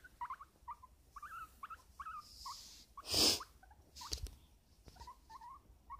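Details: Pet guinea pig resting on a person's lap, giving a series of short chirping squeaks with a rising-falling contour, several per second with brief pauses, plus rustling and one louder handling noise midway.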